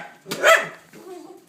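A dog gives a single sharp, harsh bark, followed by a faint, low murmuring sound.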